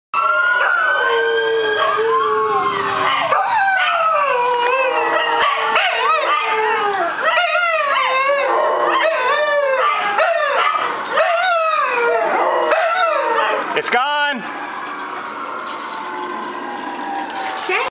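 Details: Several dogs howl along with passing fire truck sirens: overlapping, wavering howls rise and fall continuously, with an occasional short bark mixed in. Steady siren tones run underneath, and there is a brief loud thump near the end.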